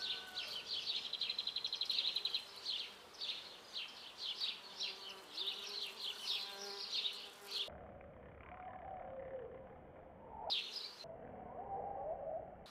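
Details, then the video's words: Bees recorded on a Canon 4000D: a rapid series of high, pulsing buzzy bursts repeated in quick rhythm, then a lower, wavering hum of wings as the sound shifts, with short gaps in between. "The bees"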